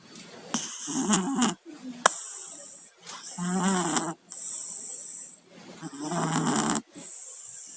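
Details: Two cats with colds, Tayen and Lilu, snoring while asleep: wheezy, buzzing snore bursts about a second long, alternating with short quiet gaps and faint clicks, the congested breaths coming irregularly.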